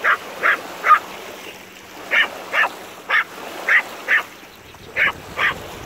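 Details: Maltese dog giving short high yapping barks, about ten in six seconds in uneven pairs, over a steady background hiss.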